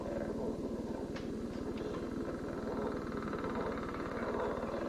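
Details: Advertisement call of a male northern leopard frog: a low, rapidly pulsed snoring call, like two balloons rubbed together, with some chuckling.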